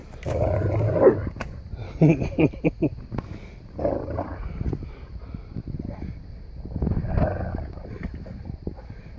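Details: Three Boerboels, Jade, Odi and their son Crusher, tussle playfully in snow, giving gruff, throaty growls in short clusters, sharper snarls around the second mark, then quieter rumbling and scuffle.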